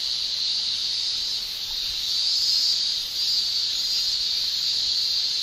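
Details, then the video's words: Continuous summer shrilling of male Japanese cicadas made with the tymbal, a steady hissing high buzz that dips briefly near the third second before resuming at full strength. "Japan Summer Cicada Shrilling"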